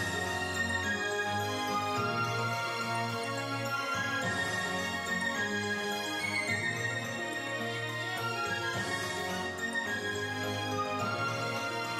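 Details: Steady instrumental background music plays throughout, with no animal sound.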